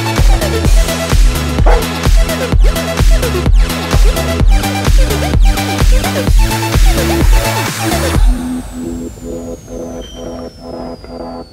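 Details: Loud electronic dance music with a pounding regular beat gives way after eight seconds to a quieter passage with a falling whistle-like sweep.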